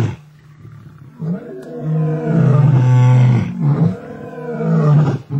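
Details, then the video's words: Two male lions in a tug-of-war over a kill in Africa; deep drawn-out roaring growls, swelling after the first second and holding loud, with ragged breathy pulses between. "lions fighting over kill"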